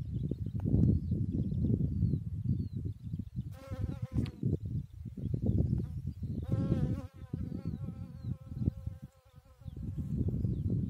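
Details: Bee working on a chicory flower, its low buzzing hum loud and continuous, briefly broken by two short higher whining tones around the middle.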